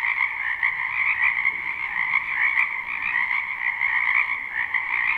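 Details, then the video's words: Dense chorus of many frogs croaking in a spring wetland behind a house, live and unlooped: a steady, overlapping pulsed trilling in two bright bands that never pauses, with no other clear sounds. "Ambient Noise for Sleep Frogs"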